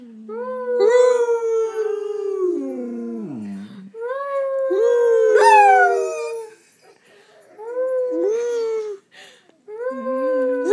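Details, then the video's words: Pet dogs howling together with their owner in a room, long wavering howls that rise and fall and often overlap, with brief whimpering dips between phrases. "Gracie & Lilly Howling Part 2"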